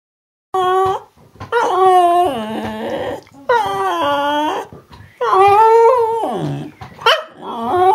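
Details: Female Cardigan Welsh Corgi telling about her day: long, drawn-out, wavering whine-howls in varied pitch, rising and falling like chatter, several phrases separated by short pauses, with no other sounds.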